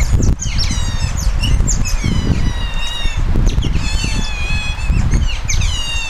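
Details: Captive Asian small-clawed otters at Zoo Duisburg, Germany, awaiting their food: a continuous run of high, thin, wavering chirps and squeals from several animals, partly covered by loud low rumbling and thumping noise.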